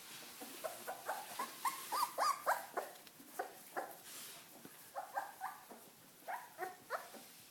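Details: Welsh Corgi puppies on their first walk, giving a rapid, uneven string of short, sharp, high yips and yelps, several per second, some rising slightly in pitch, with a soft background rustle.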